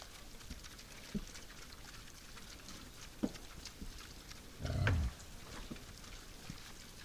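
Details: Wild boar visiting a forest feeding site at night: one low, rough grunt of about half a second near the end. Soft scattered clicks and patters fill the background.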